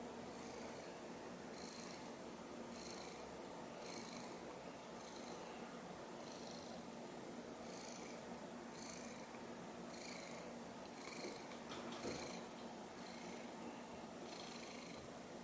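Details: Sushi, a pet mackerel tabby cat, stands looking up at a toy taken from her after she nearly swallowed it, eyes wide. She purrs steadily, with soft breathy swells about once a second through the whole recording.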